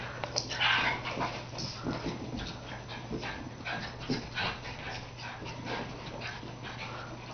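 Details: Foster Cairn Terrier Darcy plays with Kinsey, the two dogs having a good time together. A short, higher whine comes early, followed by scuffling, grumbling play noises over a continuous low hum.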